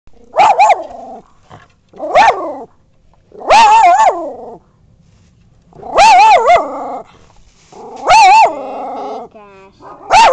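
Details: Bichons and a wire-haired dachshund, small dogs, give high, ringing barks in short wavering bursts, spaced irregularly a second or two apart.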